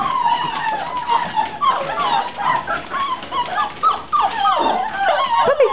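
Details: Litter of puppies aged 7 weeks, indoors in their pen, keeps up a steady chorus of overlapping high whimpers and squeaky whines, many short rising and falling notes in quick succession, with a person talking softly.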